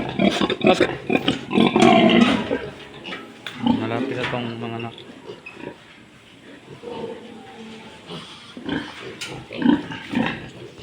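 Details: Domestic pig grunting on a farm where two sows have recently given birth, with a pregnant sow said to be near farrowing; quick low grunts, roughly four a second, bunched early then sparser, under a man talking in Filipino throughout.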